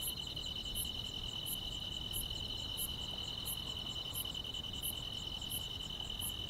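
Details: Countryside grass insects singing on a summer night, a constant shrill buzzing trill layered with evenly spaced high clicks recurring about every 0.7 seconds, and soft low-frequency noise underneath.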